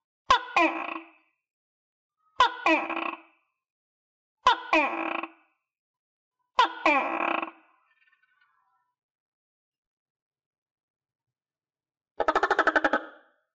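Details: Captive tokay gecko kept with other tokays, recently dewormed and given vitamins, calling around feeding on crickets: four loud two-part croaking calls spaced about two seconds apart, then a quick rattling burst of clicks near the end.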